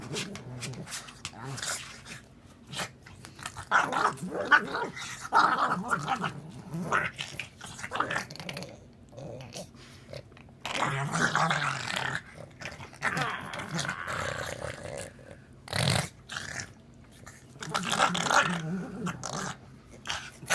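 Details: A pug makes goofy noises: irregular snuffly grunts, snorts and growl-like rumbles in uneven bursts over about twenty seconds, with brief quiet gaps and faint background voices.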